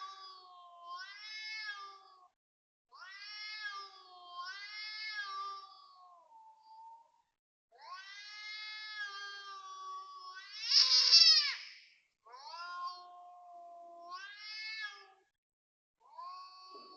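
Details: Cat calling at 5.09 am on 19 February 2026 at a Toa Payoh housing block in Singapore: a run of moaning, rising-and-falling yowls, with one harsher, louder screech near the middle.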